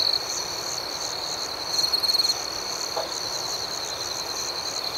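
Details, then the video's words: A night chorus of crickets holds a constant high shrill trill, with a louder stuttering burst of chirps in the middle and one soft low tap shortly after. "Soothing Cricket Sounds"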